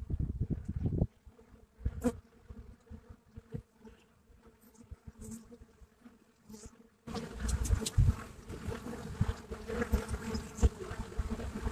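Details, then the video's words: Buckfast honeybees at a hive entrance in Brittany, France; low humming with passing buzzes, quieter in the first half, then a sudden louder, fuller swarm-like drone from about seven seconds on. "Abeilles buckfast à l'entrée de la ruche en Bretagne."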